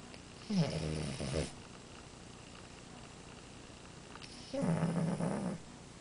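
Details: Snoring French Bulldog named Amora: two drawn-out, throaty, buzzing breaths roughly four seconds apart, low and rumbling with a nasal whistle edge, quiet room between them.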